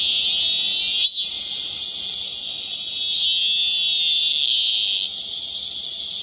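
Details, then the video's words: Min-min cicada (Hyalessa maculaticollis) singing: a loud, unbroken, high-pitched buzzing drone that holds steady throughout, with a brief dip near the one-second mark and slight shifts in tone later. "Hyalessa maculaticollis/참매미"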